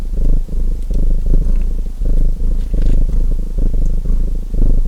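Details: Close, deep purr of a domestic cat by a crackling chimney fire, rumbling in breath-length surges of about a second each, separated by short dips, with light woody snaps in the background.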